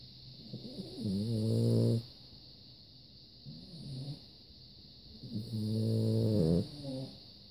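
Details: A French Bulldog, a rescue dog, sleeping deeply indoors; long, low, rattling snores with a rising-falling buzzy tone, each lasting about a second and a half, with a softer snore between, over a steady high electronic hum.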